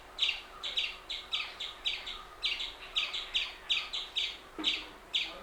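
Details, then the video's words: Continuous high, clipped chips from an Indian palm squirrel, paired notes repeated about twice a second without a break, with a soft knock near the end. "Hear The Most Surprising Sound Of The Indian Palm Squirrel"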